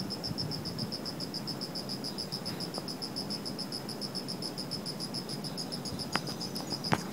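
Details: Autumn night chorus of insects in a shrubbery: shrill, fast-pulsed chirping holds steady throughout over a soft low hum, with a couple of sharp clicks near the end.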